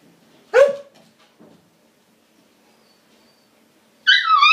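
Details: Siberian husky puppy named Lady, indoors, trying to coax a border collie into friendship and play: a short yelping bark with a falling tail, a soft murmur, then a wavering, whiny talking howl at the end.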